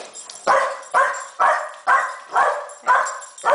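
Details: Boston Terrier that dislikes the camera gives harsh, strained barks repeated steadily about twice per second, seven in the clip, each a rough burst fading off.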